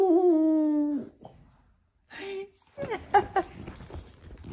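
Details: A Boston Terrier howls for belly rubs, giving a brief, wavering howl that slides downward, followed by a person talking.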